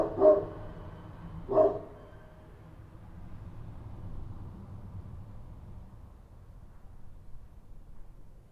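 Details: At night in Kabul, a Kochi street dog gives two sharp, loud barks about a second and a half apart, followed by several seconds of quiet low background noise.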